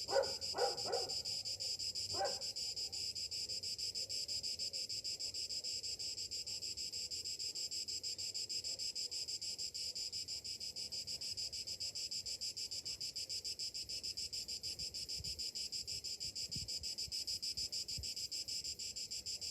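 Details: Summer cicadas singing in the morning: a dense, high, continuous buzzing drone with steady rapid pulsing; a few brief lower chirps or knocks at the very start, then the insect chorus carries on unbroken.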